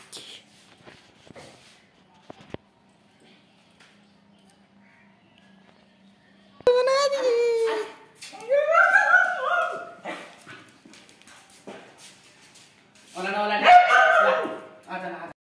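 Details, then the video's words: Kittu, a female Siberian Husky, grows excited on hearing talk of going out: wavering, yodel-like howls and whines in two bursts that rise and fall, mixed with people talking indoors. "किट्टू चुपचाप बैठी थी घूमने की बात सुनकर हो गई आउट ऑफ कंट्रोल"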